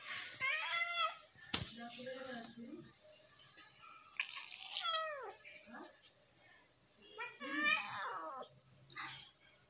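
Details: Domestic cats begging for lunch give short and drawn-out meows that bend downward, several within ten seconds, mixed with a man talking nearby and a sharp click.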